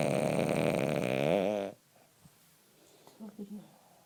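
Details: A male French Bulldog, sleeping in the morning while cuddling, gives his usual long, loud snore, rasping and buzzy with a wobbling pitch, then breaks off to near silence with a few soft snuffles.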